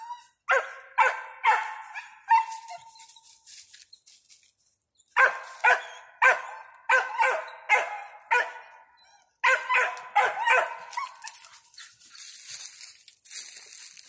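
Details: Ranger, a five-month-old squirrel dog, calls after treeing a squirrel: three bursts of rapid, harmonic barks separated by short pauses, one long wavering howl-like note trailing off early on, faint hiss near the end.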